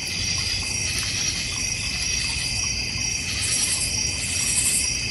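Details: Crickets around a North Georgia Mountains backyard pond. A sustained layered high buzz with a thin tinkling tone running through it and brighter notes toward the end.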